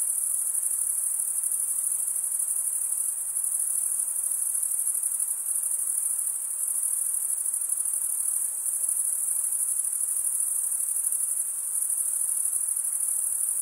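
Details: Chorus of crickets chirping by wing stridulation: a bright, piercing, high continuous trill at a constant volume throughout, with a faint background hiss and nothing else audible.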